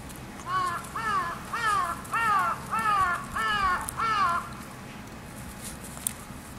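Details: A male toy poodle puppy, born on 25 February, gives six arched, whiny yelps in a quick even series, about one every 0.7 seconds, then falls quiet.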